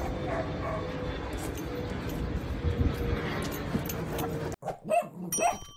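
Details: Great Dane puppies dressed as great white sharks for Halloween; steady background rumble for most of the clip, then a few short, sharp barks near the end.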